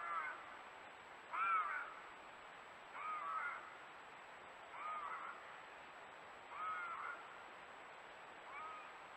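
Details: Bobcat screaming while calling for a mate in the woods: harsh, raspy cries with a wavering tone, repeated roughly every two seconds, some louder than others, over a steady background hiss.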